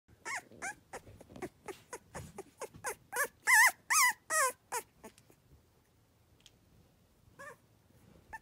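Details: Three-week-old Cavalier King Charles Spaniel puppies on an autumn day, making their rolling 'tiger rrrr' sound: a run of short, quick squeaky yelps about twice a second, swelling louder midway, then quiet with a final pair.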